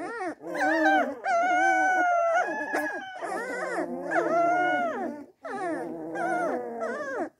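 Springador puppies howl together in high, wavering, overlapping voices, rising and falling in three long bouts.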